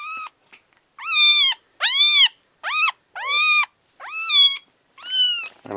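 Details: A kitten held upside down indoors at home protests with a series of loud, high, arched meows, about six cries each under a second long with short gaps, bright and harmonic, ending in a brief rough noise.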